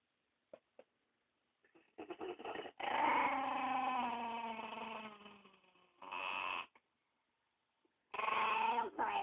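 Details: Spumoni, a pet dog protective of the dog beside him, growls at anyone approaching the pair; low harmonic moaning growls rise and fall in long drawn-out bursts, with short clicks before and a pause between them.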